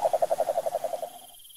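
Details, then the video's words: ["Wild cane toad in Brazil's pantanal countryside giving a short trill of about a dozen rapid, evenly spaced pulses that fade out after about a second."] "SAPO CANTOR SELVAGEM"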